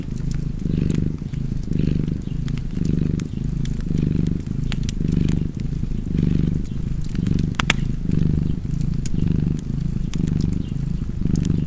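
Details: Cozy cat purr, a throaty vibrating drone pulsing with the animal's breathing about once a second, with frequent crackling from a fireplace throughout.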